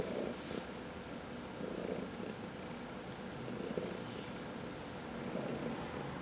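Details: Domestic cat purring during a massage, from a group of four cats. A continuous low rumble is broken by airy breath sounds roughly every one and a half to two seconds, giving a slow, steady rhythm.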